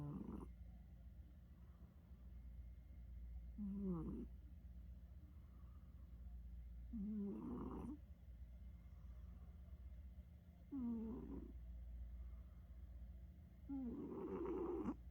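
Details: Domestic cat snoring while asleep indoors, shifting freely between low and high tones: four rasping, breathy snores about every three and a half seconds, each with a brief rising-then-falling tonal edge, over a steady low background hum.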